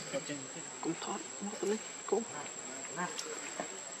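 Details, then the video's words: Baby monkey Lucie, hungry for milk, gives a run of short squeaky cries with rising, harmonic-rich notes, each lasting under half a second and spaced irregularly over a steady insect-like hiss. "Lucie Too Much Hungry Milk I Adorable Baby Monkey"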